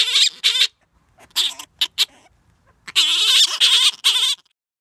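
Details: Gelert, a grey-headed flying-fox, sings his courtship song to Diva: two loud raspy squawks, a few softer clipped notes, then a run of three strong, warbling nasal cries.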